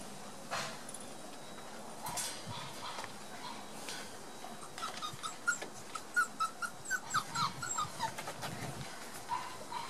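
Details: One-month-old Border Collie puppies playing together on 4 October 2016, discovering new sounds; short high squeaky whimpers come in a quick irregular run in the second half, over soft rustling and bumping.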